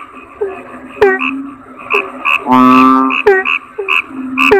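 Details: Kodok bangkong toad calling: a long, loud, nasal croak near the middle, set among short chirps that slide downward, sharp clicks, and bright ringing notes repeated throughout.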